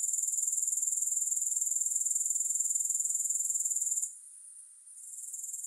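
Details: High, shimmering grasshopper buzz made of fast regular pulses, with no music. It drops away abruptly after four seconds, then returns more softly.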